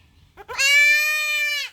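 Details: Kid goat during castration cries a long, steady, high-pitched bleat of about a second, bright and harmonic, preceded by a couple of short broken sounds.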